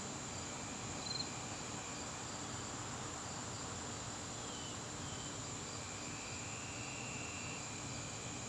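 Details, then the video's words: Steady high trilling of crickets in an evening garden in September, continuous and level, with a few faint thin whistles and chirps from something else scattered across the background. "garden crickets"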